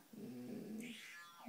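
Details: Cane Corso giving a low, drawn-out, tonal grumbling growl for under a second indoors, followed by a faint higher sound as people talk around it.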